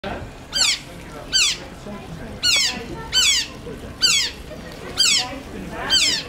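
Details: Captive otters at a zoo park in Zwolle, Netherlands, excited before feeding time, give shrill descending squeals, one roughly every second, each a sharp high sweep falling in pitch, over low background murmur.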